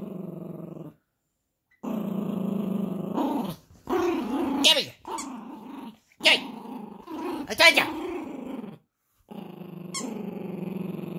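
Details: A Yorkshire Terrier puppy playing tug-of-war with a monkey toy growls in play: low, throaty rumbles lasting a second or two, separated by brief pauses and sharp yips, while its owner coaxes it to give up the toy.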